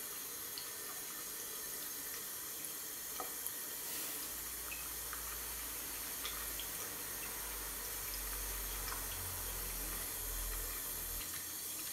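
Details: Steady running tap water filling a bathroom sink, with scattered drips and a low rumble in a small room.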